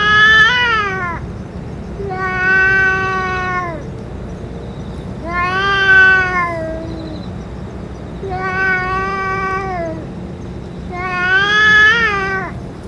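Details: Stray cats, the boss cat among them after eating food and medicine: five long harmonic meows spaced about every three seconds, each a drawn-out wavering cry with rich overtones, steady low hum beneath.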